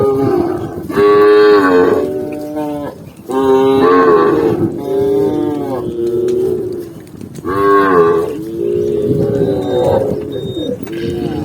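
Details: Tame cow walking calmly across a green forest in the countryside, giving deep, drawn-out moos: three long, rich calls in turn, each lasting one to two seconds with a brief quiet between them.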